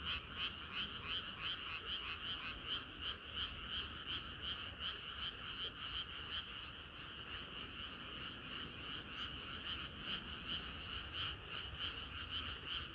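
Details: Many frogs singing through a hot summer night, their croaks merging into a constant rhythmic trill of quick, evenly repeated pulses, high and bright, with little else heard.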